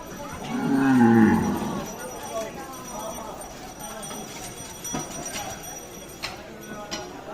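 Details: A sacrificial Eid bull described as wild-tempered, giving one loud low moo near the start that swells and fades within a second, followed by quieter background noise, faint voices and occasional knocks.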